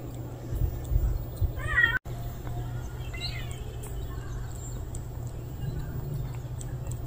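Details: Unfamiliar male stray cat newly appearing outdoors gives two short harmonic meows, the first wavering and the second briefly rising then falling, over a steady low hum and background noise.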